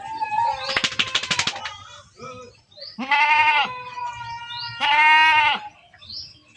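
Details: Goats being herded, giving loud quavering bleats; a rough burst early, then two strong drawn-out bleats about two seconds apart, with faint background chatter.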